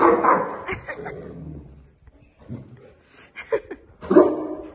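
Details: Boerboel (African Mastiff) from the pair Enzo and Diva kept in Egypt. A loud burst of gruff barks opens, then a near-silent pause, then three short, harmonic barks in quick succession toward the end.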